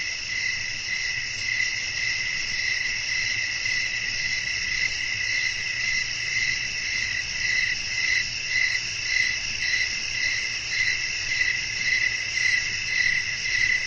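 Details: Night ambience of chirping crickets with wind blowing. A dense, continuous high insect trill carries rhythmic chirps roughly twice per second, slightly uneven, with a soft low rumble beneath throughout.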